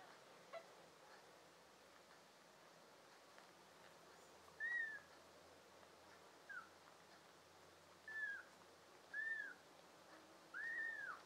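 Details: American Shorthair and tabby kittens, five of them, in June 2022; after a quiet start, five short, high, arched mewing calls come in the second half, growing louder toward the end.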